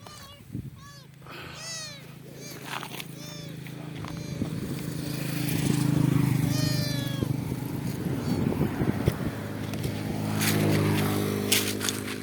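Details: Kitten stuck on a highway and rescued by a motorcyclist calls with several short, arched mews in the first seconds, then a rising engine drone and rushing traffic largely bury the calls.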